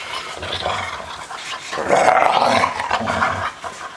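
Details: Dogs at play, three of them making a continuous rumbling growl that rises to a louder, harsher peak midway, mixed with panting and huffing.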